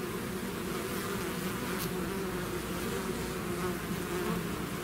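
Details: Honeybee swarm leaving its hive, a dense steady drone with overlapping hums layered around low and mid pitches, unbroken for the whole stretch, with a brief faint tick near the middle.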